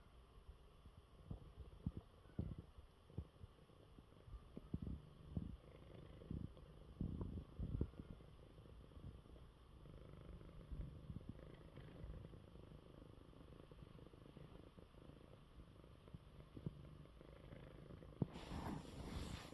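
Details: Male house cat recovering from illness purrs in his bed after a good meal: deep, continuous low purring with rhythmic pulses, quiet room, brief rustle at the very end.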